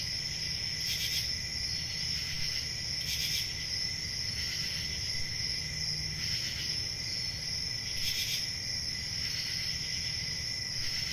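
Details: Crickets trilling without pause through a summer forest night. Periodic louder pulses break through the high drone every couple of seconds, with faint low rumbling underneath.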